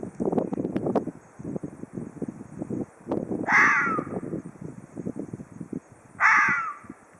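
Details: Ezo red fox giving two harsh, hoarse screams about three seconds apart, each dropping slightly in pitch. A steady background of low, busy rumbling sounds runs throughout.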